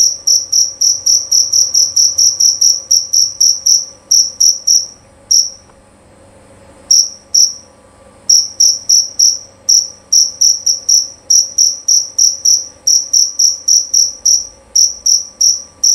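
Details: A male jerabang field cricket chirps loudly and clearly in rapid, ringing pulses, with brief pauses between bursts.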